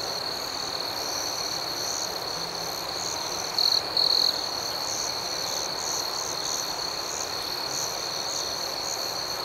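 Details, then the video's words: Nighttime crickets outdoors keep up a continuous high-pitched trill with a faint pulsing shimmer above it. One brief louder stretch of chirping comes just before four seconds. "Soothing Cricket Sounds"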